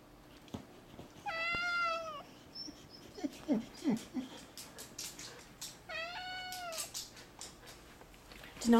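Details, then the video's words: Male cat aged four, kept indoors, vocalising about a lizard: two clear harmonic meows about four seconds apart, with soft thumps, light rustling and faint music between them. "Cat talks about a lizard"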